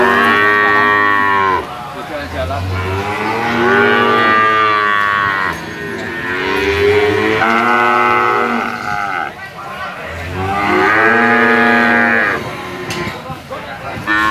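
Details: Large sacrificial cattle weighing over 500 kg, penned for weighing; loud, deep moos repeat about every few seconds in swelling bursts, several animals calling over one another.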